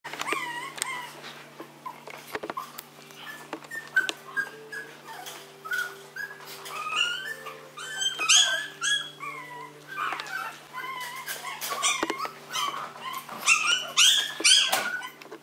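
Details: Maltese dog, called an affectionate little prince, giving a near-continuous run of high, wavering whimpers and squeaky yips, many bending up and down in pitch, with short sharp yelps scattered throughout and a steady low hum behind.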